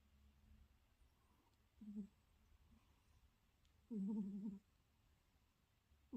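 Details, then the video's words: A cat asleep and snoring in a quiet room: short, low, buzzy tonal snores roughly every two seconds, the middle one longer and louder, with soft silence between them. "KOCA ADAM SENİ HORLAYA HORLAYA UYUYO"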